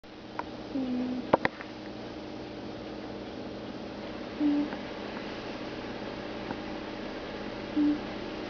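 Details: Stimpy, a pet cat, snoring in deep sleep indoors: short, low, whistling snores roughly every three and a half seconds over a quiet room hum, with a few sharp clicks near the start.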